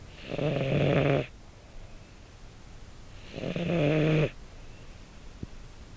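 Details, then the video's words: Sleeping male American Shorthair Carla, red tabby, born 2013, captured by a pin mic: two long, even, humming snores about three seconds apart, each lasting roughly a second, in a quiet room. "猫のいびき？寝息？と寝姿(Cat snore)"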